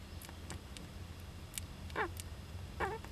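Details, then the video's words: Young Japanese giant flying squirrel in an owl nest box, 19 July 2010, with parent nearby; short sharp clicks and a couple of wavering squeaky calls near the end over low background hum. "仔ムササビの鳴き声 ～子供だってくしゃみするんです～"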